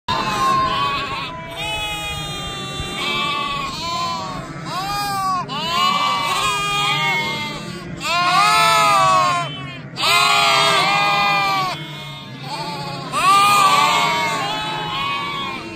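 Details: Border Leicester sheep with lambs at foot, bleating almost without pause: overlapping wavering bleats and higher lamb cries that swell into several loud bursts, with the calls of many animals layered together.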